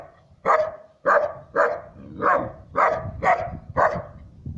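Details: Siberian Husky puppy aged three months barking at a stranger; steady run of about eight short, rough barks roughly every half second.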